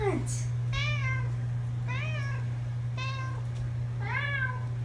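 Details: Pet cats that would not stop meowing on the way to camp: four insistent, drawn-out meows, each rising then falling, spaced about a second apart, over a steady low droning hum.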